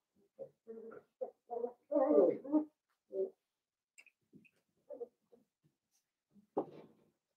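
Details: Seven-week-old Blenheim Cavalier King Charles Spaniel puppies in an indoor pen, a litter of five; a run of short tonal whines and yips, loudest mid-sequence, followed by sparse quieter squeaks and one final yelp.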